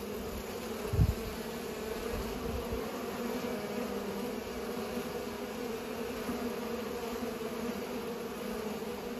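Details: Pollinating bees give a constant droning buzz with strong low bands; a brief thump near the first second, then the even hum carries on.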